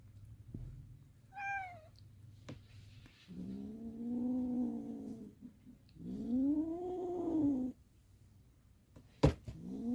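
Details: Kitten from a litter of six stray-born cats in a mountain village, giving one short high mew followed by two long, drawn-out, wavering lower meows, with a sharp knock near the end and low hum throughout.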